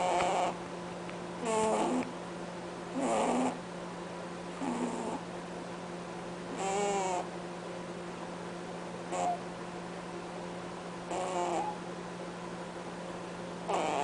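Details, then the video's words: Sleeping pet bunny snoring with honk-like sounds: brief harmonic, buzzy snorts at uneven intervals, some louder with a falling pitch, heard over a steady low background hum in a quiet room. "Bunny snoring"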